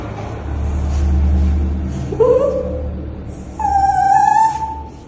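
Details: Pet dog being bathed gives two drawn-out whines, the second longer and held level, over a low steady hum and background rumble.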